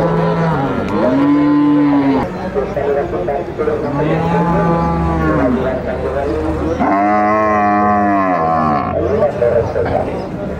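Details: Cattle at the El Tiangue livestock market, Nueva Guadalupe, El Salvador, bellowing repeatedly: three long, arched, low moos, the last louder and rougher, with other animals and market bustle behind.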